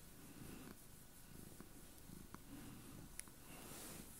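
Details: A domestic cat named Chloe purring like crazy on a bed: a steady deep low rumble in even rhythmic pulses, with a few faint ticks and rustles in the quiet indoor background.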